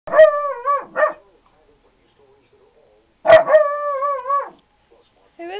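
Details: Four-month-old puppy barking to guard against the garbage man: three sharp, bright, tonal yaps, the first two about a second apart and the third after a two-second pause, drawn out with a wavering tail, then a brief fainter yap at the end.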